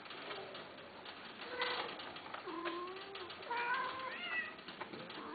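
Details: Persian-Himalayan cat during mating, male and female together: several drawn-out meows and wavering yowls, some low and sliding, one higher and bending upward near the end, over a constant hiss.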